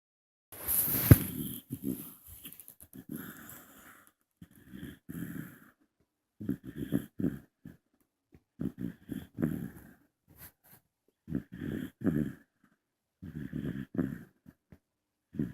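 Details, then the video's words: Young female bulldog asleep, snoring in rough, rasping bursts that come roughly every one to one and a half seconds. Each wheezy inhale-exhale is separated by brief quiet gaps. The recording is made indoors. "Snoring Baby"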